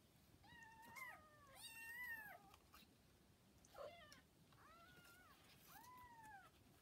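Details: Around 40 hours old, kittens with their mother cat utter a string of thin, arched mews, some doubled or overlapping, others single and drawn out, over a quiet background with a few soft knocks.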